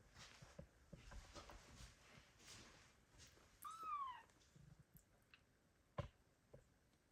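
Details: Abandoned kittens calling for their mother cat, recorded in 2022: a single high kitten meow rising then sliding down in pitch, with rich harmonics, standing out against faint background rustling.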